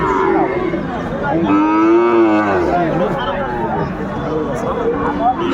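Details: A Sahiwal breed bull at a cattle market near the end of the market day, 3 January 2024; one long, deep moo swells and then sinks low in pitch, with human voices and market hubbub around it.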